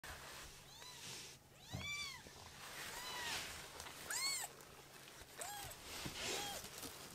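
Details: Two young foster kittens, a pale-brown one and one with white sock-like feet, playing on a lap indoors; several short arched high meows, some overlapping, irregular, with soft rustling between them.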